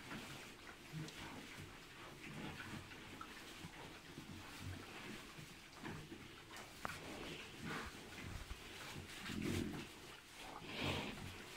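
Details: Three-month-old Landrace-Pietrain hybrid piglets, making soft, low grunts at irregular intervals, a louder grunting burst late on, with some sharper higher noises and a steady background hum.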